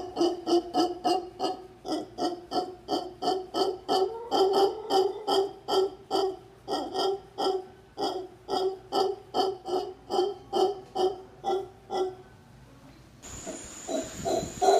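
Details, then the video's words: Howler monkey giving a rapid series of hoarse, pulsed grunts, about two or three per second, steady for twelve seconds, then a brief burst of hiss and a louder rasping note to close. "Howler monkey sound"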